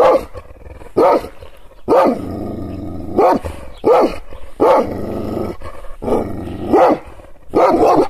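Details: Provoked Kangal shepherd dog alternates heavy, deep barks with sustained rumbling growls, barking in irregular bursts of one or two across the stretch, loud and close.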